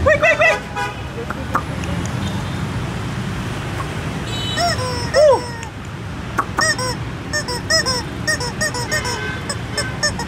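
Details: Two-month-old Shiba Inu puppies, four in a red (yellow-white) litter with imported parents, give scattered high whimpers and squeaky yelps, some bursts of three or four quick cries, with a hissing burst and constant low rumble behind.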